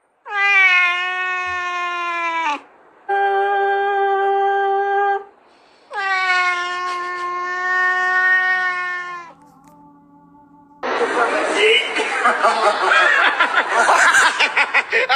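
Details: Domestic cat meowing: three long, drawn-out, slightly wavering meows, each lasting two to three seconds with short pauses between, followed by a soft tone and then a loud burst of rustling noise.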